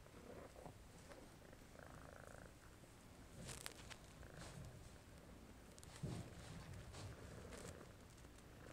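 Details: Purring from a male domestic shorthair shelter cat up for adoption, March 2014 evening: a quiet steady low rumble with rhythmic breathing swells and some scattered rustling and tapping noises nearby.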